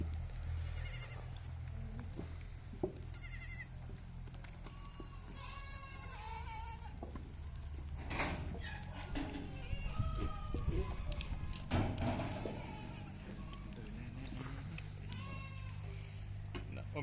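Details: Goats kept by a successful goat-rearing entrepreneur; quavering, harmonic bleats come every few seconds across the stretch, some overlapping, over a steady low hum, clatter and occasional human voices.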